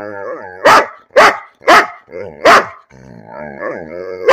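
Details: Bean the dog barks for no reason, alternating loud single barks with wavering, whiny vocal grumbles that slide up and down in pitch, about one bark every half second.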